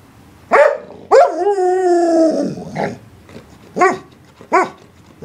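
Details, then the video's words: English Springer Spaniel giving a sharp bark, then a long drawn-out, wavering howl-like whine lasting over a second, followed by two more short, clipped barks. "Barking Springer"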